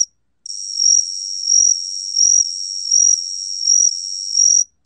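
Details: Cricket known in Korean as gaksi-gwitturami, recorded by the National Institute of Biological Resources, 2020: a continuous high trilling buzz with six pulsing swells, each rising to a brighter trill about every 0.7 seconds, on a silent background.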